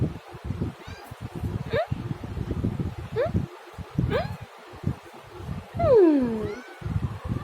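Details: Domestic cat making several short rising meows, then a loud, drawn-out meow that slides downward near the end, with low rustling and bumping noise throughout.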